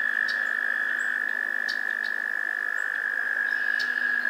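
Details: American toads trilling in a spring swamp in Maynard, Massachusetts, in May 2024: a steady, unbroken high trill runs throughout over a fainter lower drone, with brief bird whistles and ticks above.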